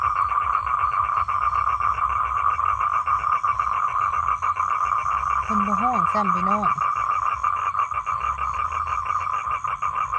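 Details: Male toad calling to attract females for mating: an unbroken, fast-pulsed trill holds one steady mid pitch for the whole stretch, with a short low human voice breaking in near the middle.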